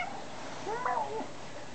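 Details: Shugah, a young pet cat greeted indoors by her owner, gives one wavering meow that rises then falls over about half a second, faint and soft against a low room hum.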